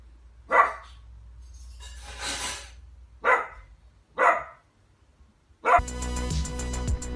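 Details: Dachshund, a pet dog, letting out several separate yappy barks about a second apart, before loud music cuts in and fills the final seconds.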